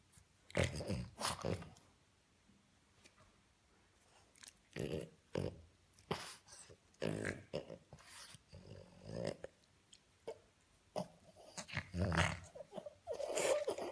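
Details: Tickled French Bulldog pup indoors giving repeated snorty grunts, rough growling squeals and wheezy huffs in quick irregular bursts, some louder and higher, with brief quiet gaps and faint human voice.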